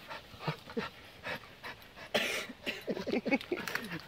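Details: Staffordshire Bull Terrier Maya, out on a walk off the lead for the first time and very happy after finding a big stick, breathing in quick, breathy panting bursts, uneven in rhythm, with faint outdoor background noise.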